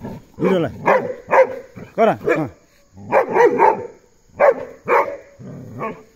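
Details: Puntu, a Belgian Malinois, barks steadily while escorting an ox out, loud rough barks coming in quick irregular groups of two to four, separated by short pauses.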